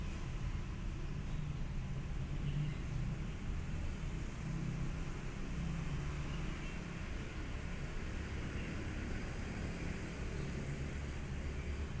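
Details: Steady low engine-like rumble, like passing traffic, fills the whole stretch with no animal voice.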